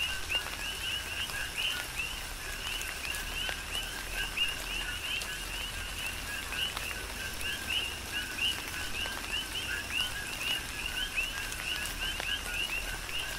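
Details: Rain falls steadily on the Big Island of Hawaii while a chorus of coqui frogs repeats rising, whistle-like chirps without pause; drops tap audibly throughout.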